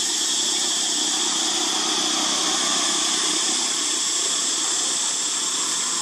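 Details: Very noisy cicadas crying at an archaeological park where monkeys live: a dense, unbroken shrill buzz held at steady loudness throughout, with bright high-pitched bands over a fainter rasping layer, no pauses.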